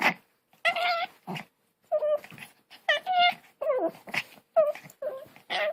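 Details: Indoor dog giving a run of weird noises: short, wavering, tonal yowls and whines with clear harmonics, in bursts roughly every half second, some bending up and down like talking, separated by brief silences.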